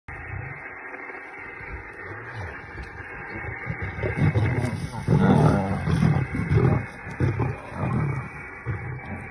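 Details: Lioness feeding on a kill, keeping the whole meal to herself: deep, rumbling growls come in rough bursts, swelling louder through the middle and fading toward the end, over steady low background noise.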